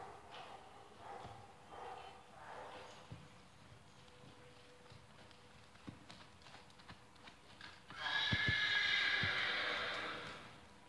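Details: A Tennessee Walking Horse gives a loud, rough whinny of about two seconds near the end, after a long quieter stretch of faint thuds and low background noise.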